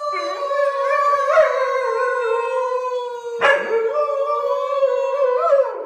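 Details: Pet dog 'singing' in a long, unbroken howl, a steady mid-pitched tone that wavers and swells, with two sharp yelping breaks partway through; no other sounds.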